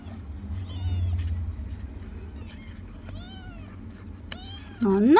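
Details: Kittens meowing in response to their owner: a few short arched mews spaced through the clip, then a loud rising meow at the end, with a woman talking in Tamil and a low room hum.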